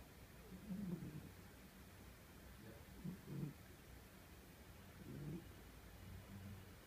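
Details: An old, lazy cat snoring while asleep: soft, low, rasping snores about every two seconds, quiet against steady room hiss.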